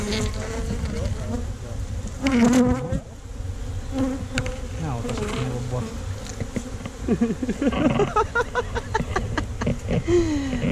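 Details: Disturbed honey bees at a tree-trunk hive during honey harvesting: several separate buzzing flybys with bending, wavering pitch over a low background hum, plus clattering knocks toward the end.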